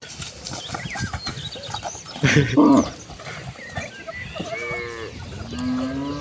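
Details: A herd of tame village cattle walking to the rice fields to graze; a low, drawn-out moo rises near the end over footsteps and rustling, after a loud thump midway.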